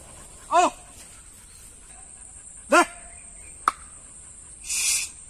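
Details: Dog in a field, either a Labrador or a pit bull, gives two short, sharp barks about two seconds apart. A constant high hiss runs underneath, and a click and a brief rushing noise follow.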